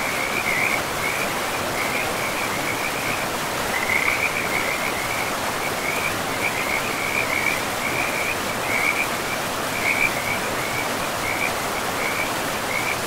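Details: Frogs calling by a river in a pristine, mossy forest: high, rattling trill bursts repeat steadily throughout, with a few louder ones, beneath them the constant rushing of the river.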